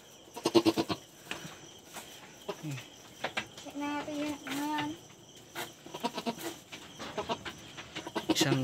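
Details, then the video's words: A newly born male goat kid on a backyard farm lets out a long, steady, nasal bleat lasting about a second, surrounded by people talking and handling sounds. "BAGONG PANGANAK NA KAMBING KO"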